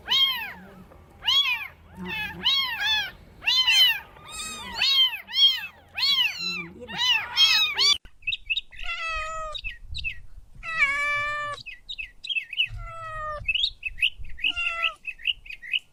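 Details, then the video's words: Kittens chasing butterflies on grass, meowing in rapid, overlapping bursts of short, high, downward-curving cries for eight seconds. Sparser, shriller meows and squeaky calls follow, with faint low rustling underneath. "Adorable Kittens Stalking and Chasing Butterflies on the Grass – Meowing Sounds"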